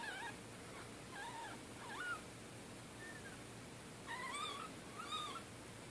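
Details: Newborn kittens, two to three days old, orphaned in Middletown when their mother was hit by a car, in bottle-feeding care; repeated thin wavering mews, some doubled, over continuous low hiss.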